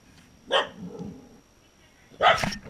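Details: Corgi barking: two sharp, bright barks about 1.7 seconds apart, the second louder and slightly longer, over a quiet room background with a faint steady high tone.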